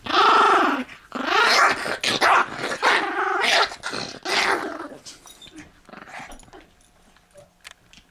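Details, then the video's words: Shivers, a toy fox terrier, growls over a bone in several rough, rumbling pulses that fade out after about five seconds, leaving faint quiet clicks and room sounds. "Dog growl/bark"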